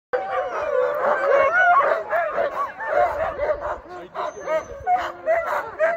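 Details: Sled dogs, including Alaskan Malamutes, in Larose Forest, Ontario, Canada, excited before a trail run, forming a dense chorus of overlapping wavering howls, yips and barks from many dogs.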